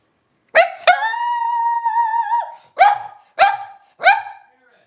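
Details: Twelve-day-old blenheim Cavalier King Charles Spaniel puppies, a litter of five born to Paris and Spike on New Year's 2023, give a brief yelp, then a long wavering whine held about two seconds, then three short falling cries.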